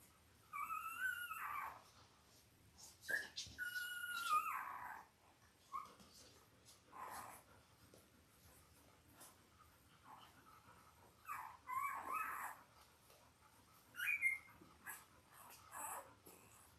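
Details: Five-day-old Labrador Retriever puppies from mother Belle's litter of eight, born October 15, 2023, indoors: several high, wavering whimpers and squeals in bursts with quiet gaps, the loudest near the start and again toward the end.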